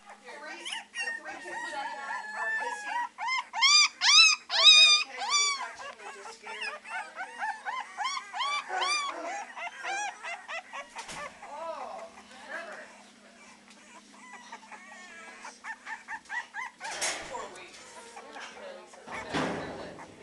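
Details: Three-week-old Beagle puppies at the Maryland SPCA shelter, practicing their howling: a chorus of high, wavering yelps and short howls, dense and overlapping in the first half, then sparser cries with scattered human voices.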